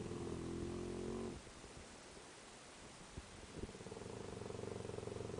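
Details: Deep snoring from Kiyu, a sleeping Tosa, with a mastiff and standard bull terrier also asleep nearby: a drawn-out harmonic groaning breath, a lull with small knocks, then rapid low fluttering snore pulses.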